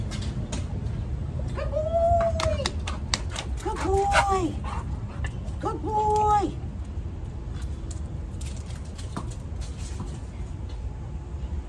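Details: Dog named Harlan giving three short, high whimpering whines about two seconds apart, each a thin, slightly bending tone, over steady low background hum with occasional clatter and taps.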